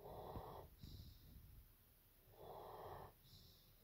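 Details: German Shepherd Evo snores during a nap: two raspy inhaled snores about two seconds apart, each followed by a faint airy exhale, in a quiet room.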